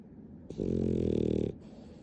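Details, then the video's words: Nana the pet dog, fond of affection, snores once in this tenfold speed-up: one steady, coarse buzzing snore lasting about a second, rising abruptly and cutting off cleanly against quiet room noise. "ナナ動画 甘えん坊 いびき 10倍速"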